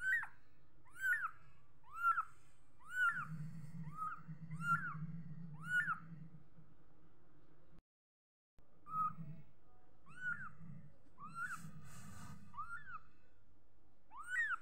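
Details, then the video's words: Little kitten mewing steadily, roughly one bright, upward-curving mew per second, with a short silent break midway and a faint low background hum. "Little cute kitten😘#kitten #cat #cutekittens #My meows"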